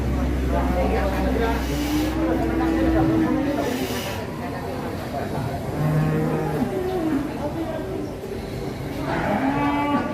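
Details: Cattle raging while being brought down off a truck: a few drawn-out, low, arching moos rising and falling, spaced several seconds apart under a steady rumbling background noise.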